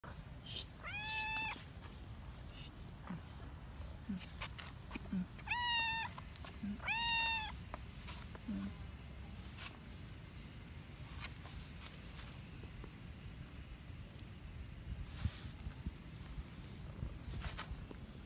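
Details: Domestic cat that wants to play, giving three short, rising-and-falling meows in the first eight seconds, followed by quieter rustling and background noise.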